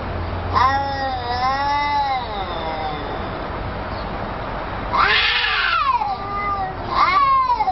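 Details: A talking cat yowls in long, wavering tones that rise and dip, followed by a brighter, rougher cry and a final rising meow, with faint low rumble underneath.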